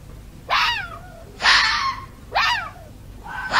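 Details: Fox calling during the mating season, when foxes call out to each other: three loud, harsh, wavering cries, each bending downward from a high start and spaced about a second apart, with quiet pauses between.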